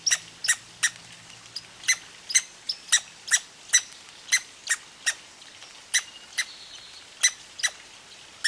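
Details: Hiccuping red squirrel, said to have eaten too fast at seeds: crisp squeaky ticks repeated roughly twice a second, each brief with ringing high tones, against soft ambient noise and a faint low hum at the start.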